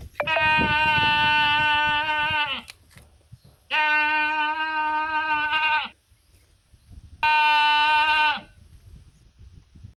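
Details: A sheep on a mountain gives three long, steady bleats, each about two seconds with brief pauses between, calling the others to come and eat.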